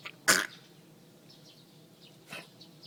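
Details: A single sharp, raspy hack from a dog with a gagging cough as if choking on something, then a softer second hack two seconds later. Faint bird chirps are present.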